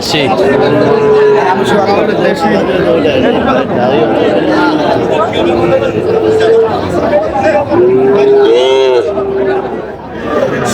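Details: Four-month-old Sahiwal calves being sold at a busy market in Natore, Bangladesh, 5 July 2025. Several wavering, mid-pitched moos rise and fall near the start, middle and end, half-buried in loud market chatter and bargaining voices.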